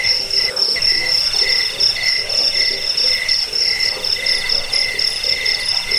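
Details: Cricket chirping meant to repel rats and train birds: loud high ringing trills in clear bands, briefly breaking near the first second, then resuming in repeated bursts with faint lower pulses.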